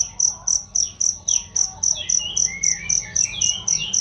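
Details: Cricket used as a training sound for songbirds, giving a clear high chirp pulsing evenly nearly four times a second, about sixteen in all, while softer bird twitters slide in the background.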